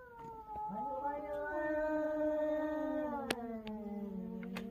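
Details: Cats in a territorial fight, crying loudly: a long, drawn-out wailing yowl that holds a steady low pitch with rich harmonics, slowly sagging toward the end, with a few sharp clicks near the close.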